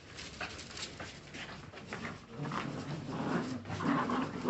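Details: Quieter Jagdterrier puppy sounds: thin whimpers and short squeaky whines over low rumbling, growing louder toward the end.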